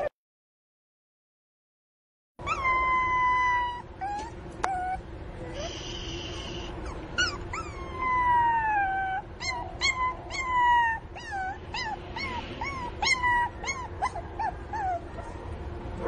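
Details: After a short silence, a Pinscher puppy missing its mother cries very loudly: long falling whines alternating with bursts of short, high, rising-and-falling yelps, repeated again and again over a steady low electrical hum.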